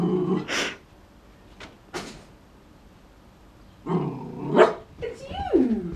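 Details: An Airedale Terrier puppy, seeing his reflection for the first time, gives low, rough growls mixed with a brief whiny yelp while a person asks what it is.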